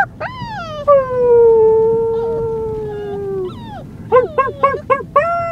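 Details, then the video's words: Luka, a small white female Siberian Husky puppy newly brought home, lets out one long howl gliding gently downward for nearly three seconds, then a rapid series of short yelping barks. "Husky puppy howling"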